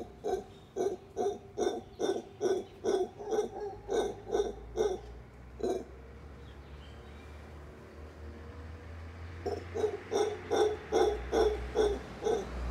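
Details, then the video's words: At Tamarindo, howler monkeys howling while eating give deep, throaty grunting pulses, repeated about twice a second in two bursts. "Tamarindo - Howler monkeys howling and eating"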